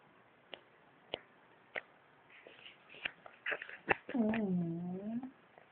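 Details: Kana, a twelve-year-old female Shiba Inu, sleeping as an old dog and snoring; a few soft clicks and breaths, then a drawn-out harmonic moaning groan, first falling and then gently rising, lasting about a second.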